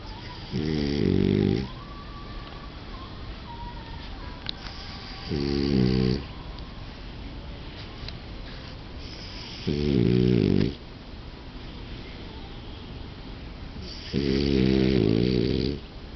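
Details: A sleeping male French Bulldog snores steadily, each breath a low, buzzy rattle lasting about a second, coming every four to five seconds with a soft background hiss between them.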